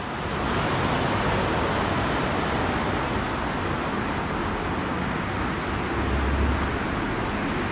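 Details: A constant roar of road traffic and passing vehicles, with a thin high whine in places.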